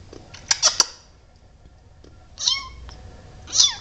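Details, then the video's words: Tiny abandoned male kitten, rescued from a sidewalk during a storm, giving short high thin meows: a quick burst of squeaks, then two brief falling mews a second apart. "Tiny adorable kitten meowing"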